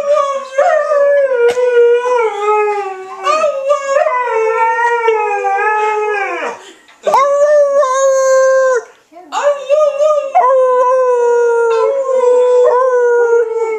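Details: Alaskan Malamute named Trixie howling together with her people, a series of drawn-out, slightly quavering tones, each starting with an upward swoop and ending in a downward slide, separated by short gaps.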